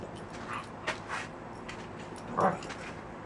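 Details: Puppies playing outside, making what sounds like dinosaur noises: a few short, rough vocal bursts, with a louder growling yelp near the end against a steady hiss of background noise.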